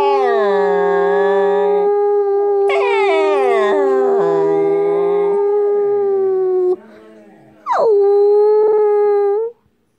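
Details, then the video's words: Siberian Husky puppy giving long drawn-out howls held at a steady pitch, with a brief rising yelp-like onset, a short pause, then another sharp-started howl that settles and fades. "Siberian Husky Puppy Howls"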